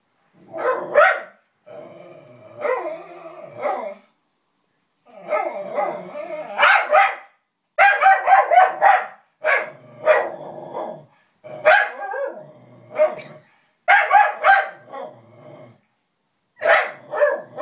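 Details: Lulu the dog objects to a puppet with bursts of sharp barks, often doubled or tripled and split by brief silences, mixed with lower growling in between.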